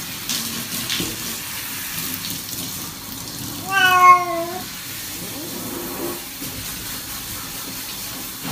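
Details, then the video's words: A pet cat during a bath lets out one clear, slightly falling meow midway, with running tap water and faint splashing around it. "고양이 목욕 시키기"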